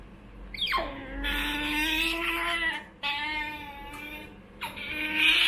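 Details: Choco, a young female otter kept as a pet, begs for food. She makes drawn-out, wavering, high-pitched whines in three long bursts. Each burst opens with a sharp falling squeal over a faint indoor hum.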